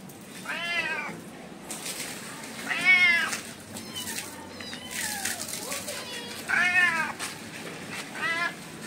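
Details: Mother cat and kittens living as adopted street cats in India, the mother said to be angry with the kittens over cow milk: four separate arched meows spaced a few seconds apart, with a person speaking Hindi between them.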